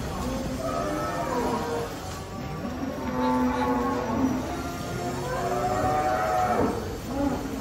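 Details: Cattle unloaded from a truck, described as angry, give long drawn-out moos over a steady low hum, with several overlapping calls and faint voices in the background.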